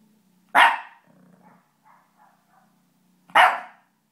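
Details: Puppy giving two loud, harsh barks about three seconds apart, with faint soft murmuring noises and a low steady hum between them.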